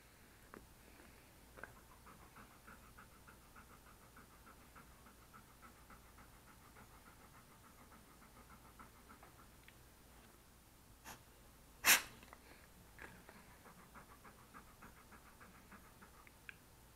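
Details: Male English Cream Golden Retriever petted as he sits next to a desk, captured on an SJCam SJ4000 action camera: quiet quick panting in short runs, broken by a sharp loud click near the end.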